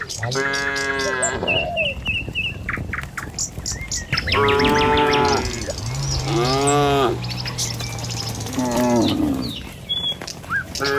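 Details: Dozens of tame village cattle walking along a village road toward their pen in the morning, lowing in several long, deep, harmonic moos spaced a few seconds apart, with bird chirps and twitters in the background.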